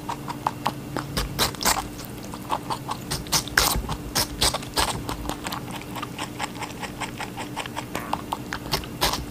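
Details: A rabbit eating watermelon munches noisily, giving quick bursts of crisp, wet crunching clicks in uneven clusters over a faint, steady electrical hum.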